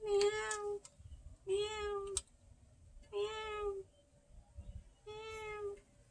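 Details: Domestic cat eating food from a 200-year-old jar; four clear, drawn-out meows, each steady and slightly falling at the end, spaced about every one and a half to two seconds, with a quiet indoor background.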